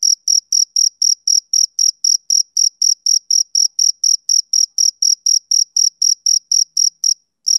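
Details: Male cricket giving quick, high, pure chirps about four per second, then a brief pause and a single final chirp; otherwise silent.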